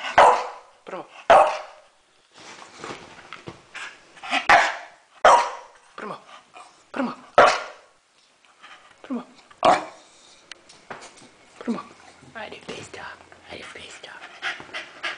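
A Staffordshire Bull Terrier makes short, throaty barks and grumbling 'talking' sounds on command.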